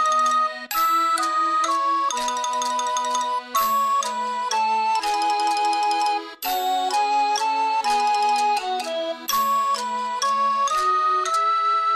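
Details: A bright chiming melody, like a music box or glockenspiel, plays steadily throughout, with clear repeated notes and no animal voice.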